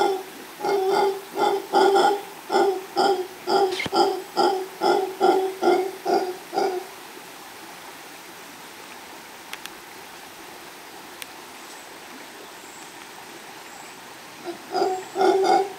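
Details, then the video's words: Mantled howler monkey male calling near a female in Los Tuxtlas Biosphere Reserve, Veracruz, Mexico, captured by chance; a long run of regular guttural roaring pulses, about two per second, fades into quiet forest before the howling resumes at the end. "Mono Aullador de Manto (Alouatta palliata)"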